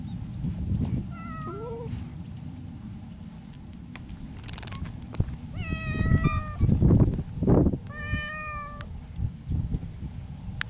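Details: Feral mountain cats in spring courtship: a short low moan, then two drawn-out wavering yowls, over steady low rumbling background noise and a few clattering knocks.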